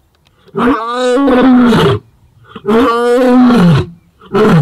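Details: Casper, a white male lion of the ageing Shishangaan coalition, roars in long, deep, moaning bursts, answering roars of the rival Mayambula coalition in the southwest of their territory near Sweni, southwest of Satara.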